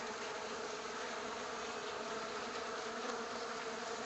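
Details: Honey bees that have settled into a workshop make a dense, steady droning buzz from many wings, with no pauses and no other clear sounds.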